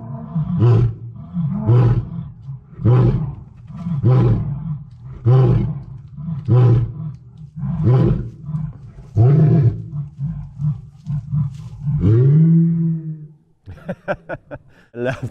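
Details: Lion giving the grunting tail of a roar: about nine deep, rhythmic grunts roughly once a second, slowly spacing out, then a longer rising moan and some rustling noise at the end.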